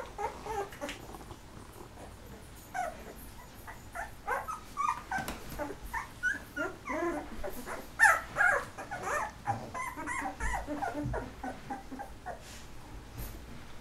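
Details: Thirteen-day-old Golden Retriever pups from a litter of eleven, eyes newly opening, keep up a busy chorus of short squeaks and whines, uneven in rhythm, growing denser and louder around the middle.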